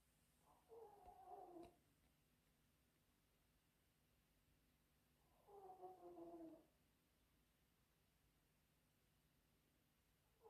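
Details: Chihuahua snoring while asleep, with two separate snores about five seconds apart. Each is a soft, tonal, wheezing rasp lasting roughly a second, and the room is otherwise quiet.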